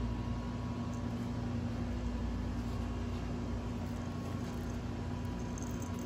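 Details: Steady low engine-like rumble with a constant hum and faint high electronic whine; no animal voice is heard.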